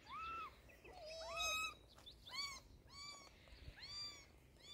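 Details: Kitten meowing while being given eye drops to treat sore eyes, a run of high, arching cries, several close together and some overlapping, with faint handling noise underneath.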